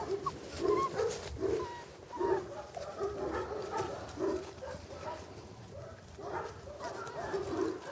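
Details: English Cocker Spaniel pups from an August 2011 kennel litter making soft whimpers and short yips at an uneven pace, with a few thin high squeaks in the opening seconds.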